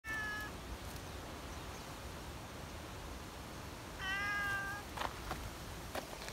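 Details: Female tabby community cat outdoors in Japan, coaxed onto a bench, gives two clear harmonic meows, one short at the start and a longer one near four seconds, over steady outdoor hiss and a few soft clicks.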